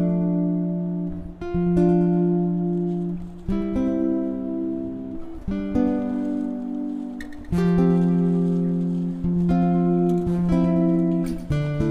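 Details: Acoustic guitar music, strummed and plucked in a steady rhythm throughout, with no animal sounds.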